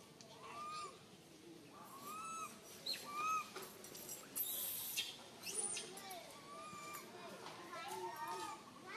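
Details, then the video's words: Frightened tiny baby monkey, alone and stuck on a high tree, cries for its mother with a steady series of short arched whistles, roughly one every second, amid brief rustling bursts. "Calling Mum Helped while Stuck on high tree alone Tiny baby monkey SANTOS Cry very fearful"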